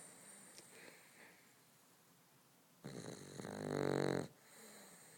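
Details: A sleeping Boston Terrier gives one drawn-out rasping snore that builds in loudness and then stops abruptly, preceded by soft, quiet breathing in a small room.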